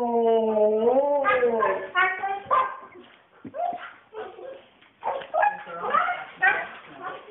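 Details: Female Siberian Husky flipping out, a dog said to act like this on walks too: a long wavering whine that rises and falls, then choppy yelps and short howled bursts at an uneven pace.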